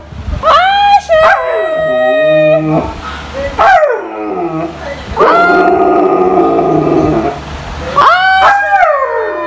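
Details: Female Siberian Husky calling her owner to go out: a series of loud howling, talking vocalizations with rich harmonics, rising then falling in pitch, about five bursts with short breaks between them.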